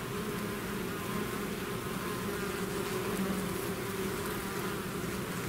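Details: Bee swarm out of its hive, buzzing naturally: a dense, steady drone with a low hum and a brighter overtone running unbroken throughout, the loudness level and even.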